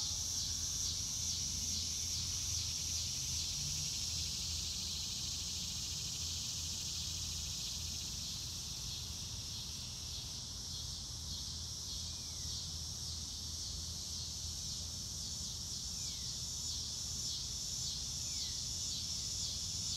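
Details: Crickets chirping outdoors on a sunny blue-sky day: a constant high trilling chorus with regular rapid pulses, joined by a few faint, short, falling bird notes in the second half.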